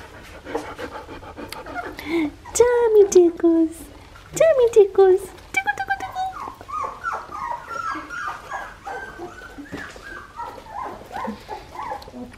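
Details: Australian Shepherd puppies, 2.5 weeks old, from the litter of Poppy and Dublin at an Oklahoma breeding farm: two drawn-out falling whines, then a run of short, high squeaky cries, with a person talking throughout.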